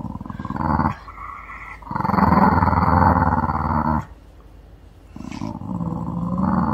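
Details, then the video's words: Puppy Mandoo, unwell with a suspected stomach upset, fusses and acts spoiled. Three bursts of rough, rapidly pulsed groaning, the middle one longest at about two seconds. Quieter gaps between them, with a person talking gently. "귀여운 강아지개엄살 탑클래스"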